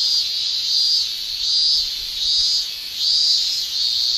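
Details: Cicadas in Japanese summer, males shrilling with their tymbals: a dense, high, steady hiss swelling and fading in regular waves about every three-quarters of a second, with no other sounds.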